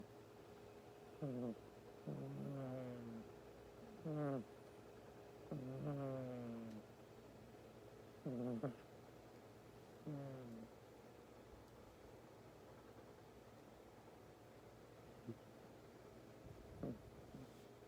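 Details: A tired male domestic cat snoring while asleep indoors: short, low, raspy harmonic snores come roughly every one and a half to two seconds, then fade to a few faint breaths over a steady quiet hum.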